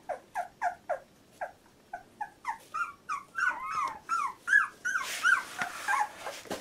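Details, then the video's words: Labrador Retriever puppy aged 14 days, giving regular squeaky whimpers about twice a second, then rising, overlapping whining cries as more voices join, ending in a louder, noisier burst of squealing. "Puppy 14 days old labrador retriever"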